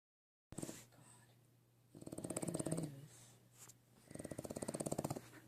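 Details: Sleeping French bulldog puppy snoring: rough, rattling breaths in slow cycles, each noisy snore lasting about a second with quieter wheezy stretches between, plus a steady low hum in the background.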